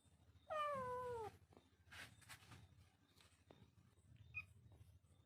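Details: Little kitten giving a single meow, a falling, tonal cry lasting under a second, followed by soft indoor rustles and clicks in a quiet room.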